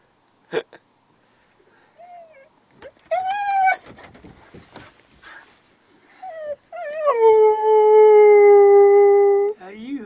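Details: Luna the dog howls aboard a small fishing boat on Lough Neagh, upset by dogs barking in the distance. Brief rising wavering cries come first, then one long steady drawn-out howl holding several seconds, ending with a short low whine.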